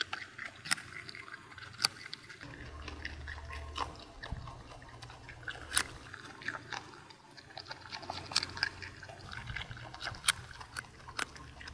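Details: A groundhog living on an Alpine mountain pasture, accustomed to people, crunches loudly on a carrot, giving sharp, irregular bites and wet chewing clicks; tree felling works nearby.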